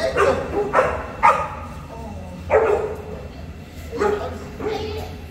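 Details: Boerboel, the African Mastiff, from a couple living in Egypt, barking in short deep bursts: three quick barks, a pause, then three more spaced about every half second, over a faint steady low hum.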